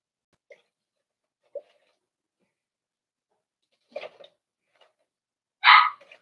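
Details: Four-week-old Cavalier King Charles Spaniel puppies from Daisy's litter in an indoor pen: a few soft, brief squeaks and small noises, then one short, loud, high yelp near the end.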